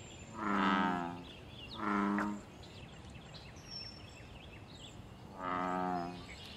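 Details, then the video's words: Deep, buzzy bellows from a wild American bullfrog in a pond, linked to mating and territory: three loud droning calls, two close together and a third after a pause of about three seconds, with faint bird chirps between. "Bull frog call loud sounds and fight"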